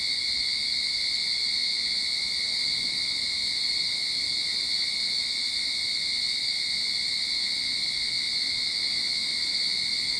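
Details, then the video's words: Cicadas droning in a Sydney backyard early in summer, one sustained high-pitched electric hum with layered shrill tones and steady volume from start to finish. "Cicada Sound to Calm your Mind"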